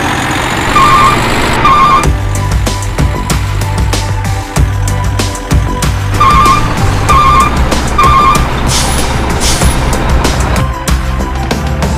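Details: Trucks idle and rumble with heavy low engine noise while a reversing beep repeats in short bursts, an air brake hisses and background music plays throughout.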